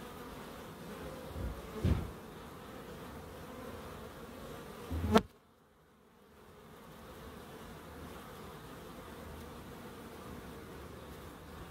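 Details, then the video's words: Bees humming in a small wildlife garden at an end-terrace house in Crookes: a steady low droning buzz, with two sharp knocks near two and five seconds and a brief near-silent gap after the second. "1hr of Relaxing Bees"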